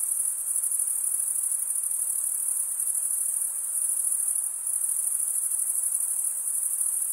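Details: A dense chorus of male crickets stridulating, giving an unbroken thin, high ringing trill with a faint rhythmic pulse and a brief softening midway, only insects heard.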